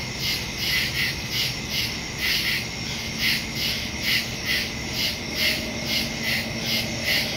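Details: Crickets chirping in woods at night, captured September 2, 2023 using a Samsung Galaxy S22 Ultra phone and Shure MV88+ stereo microphone; rapid high-pitched pulses beat in regular bursts, with a faint lower hum underneath.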